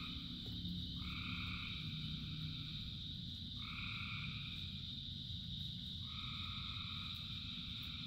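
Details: Frogs calling in the rain, many together. Drawn-out tonal notes of about a second, each with a two-tone pairing, repeat every few seconds over a steady high buzzing drone and a dense low hiss of falling rain.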